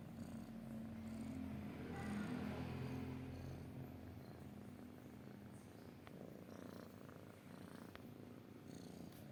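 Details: Domestic cat purring, a low rumbling purr concentrated in the bass with steady pulsing, louder in the first few seconds and then softening, with faint clicks and light handling noise later.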